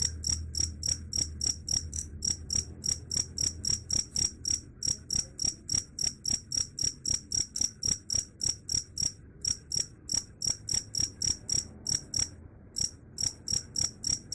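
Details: Cricket chirping steadily, bright high-pitched pulses repeated about three to four times a second with a few brief pauses, over a faint low rumble.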